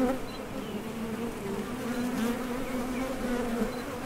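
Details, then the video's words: Honey bees crowding a top bar hive entrance, heading out for nectar and returning; even, humming drone throughout, with faint higher buzzes from passing bees. "HONEY BEES Sound Effect #MasonJar | BEES BUZZING"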